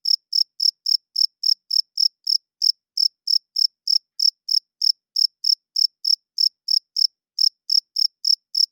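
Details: Loud nocturnal chirping from a cricket, the male's wing song meant to attract females and establish territory; roughly 29 crisp, high-pitched pulses come at an even pace near three per second, with short breaks near three and seven seconds, and no other sounds.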